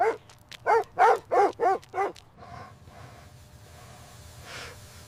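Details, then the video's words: Puppies playing with their mother dog on fresh snowy ground in winter; a quick run of six loud, harmonic barks in about two seconds, then quiet with a faint later yelp. "Dog barking sounds"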